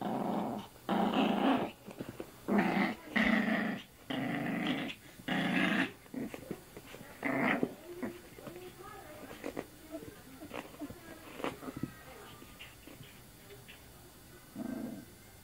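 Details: Playful female puppy mouthing an arm: a string of gruff growls in short bursts over the first six seconds, then scattered quieter rustles and light sounds, with one last low growl near the end.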